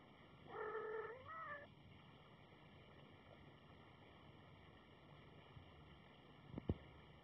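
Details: Seven-day-old kitten squeaking: one thin, wavering cry with a small rise and dip, lasting about a second, then a long stretch of quiet room hiss and a faint click near the end.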